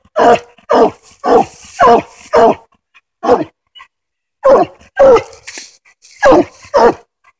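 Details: Treed on a den in Tennessee, coonhound Hoss keeps up a choppy run of barks, close to two per second, broken by a short lull before the barking resumes.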